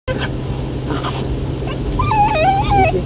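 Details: Golden Retriever puppy unhappy about a car ride. After some rustling, it gives a high, wavering whine that rises and dips over about a second, above a steady low car-engine hum.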